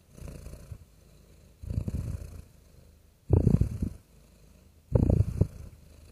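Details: Purring of a real house cat: deep, rough rumbles in four separate bursts, the last two louder and closer, with quiet breathy gaps between.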